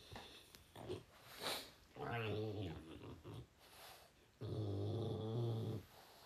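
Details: French Bulldog hugging his owner before going to bed, indoors; two drawn-out low, throaty groaning grumbles, the second lasting over a second, with soft rustling and brief quiet moments between.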